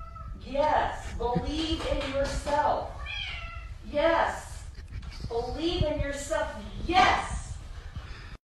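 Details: Kittens meowing indoors, with a run of short, wavering, rising-and-falling meows repeated every second or two, overlapping with people talking throughout.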